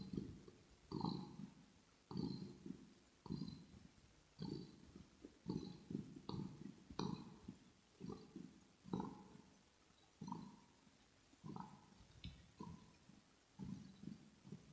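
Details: Kitten purring steadily in a quiet room, recorded close up for relaxation: a low rumbling purr that swells with each breath, roughly once per second, with faint higher ticks over the pulses.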